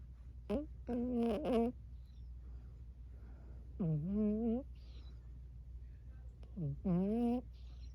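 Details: Burmese cat vocalising while asleep, a run of soft mewing murmurs: a quick chirp then a longer wavering mew, a drawn-out rising-falling mew, and a final chirp-and-mew pair, indoors with a low steady hum.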